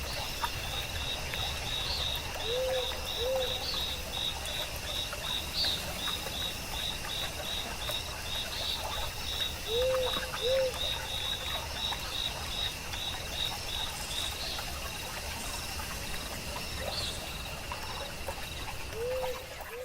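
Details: Grass insects in a quiet mossy forest near running water: long runs of quick, evenly pulsed high chirps and a thin continuous tone, with three pairs of short low rising notes, over a steady wash of water.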